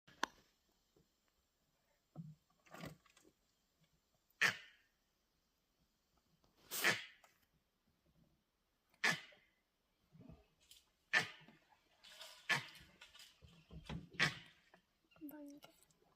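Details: Langur monkeys on high alert in an Indian forest give harsh, explosive cough-like alarm barks, repeated every two seconds or so, warning of a tiger moving close by.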